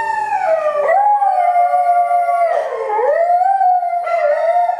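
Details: Shetland Sheepdog howling along in song, a continuous siren-like howl that dips, rises and holds steady, wavering throughout.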